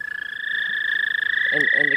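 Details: Many frogs calling at a pond, the first callers of spring. Their chorus forms a steady, unbroken high trilling tone with a fainter upper ring. A few short human voice sounds come in near the end.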